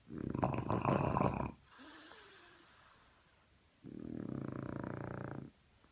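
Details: French Bulldog snoring in the morning: a loud, rasping, low snore for about a second and a half, a softer breathy pause, then a second long, steady snore at lower volume.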